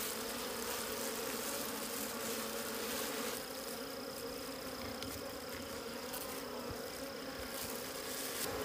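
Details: Wild bees at a concealed natural honey store, buzzing as a dense, even drone with stacked tones and a thin high whine, over steady hiss with scattered faint ticks.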